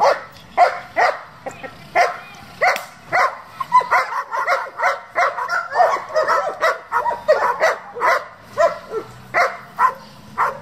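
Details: German Shepherd of a competition working group barking almost continuously, loud sharp barks repeated roughly every half second, sometimes doubling into quick pairs, with a faint hum underneath.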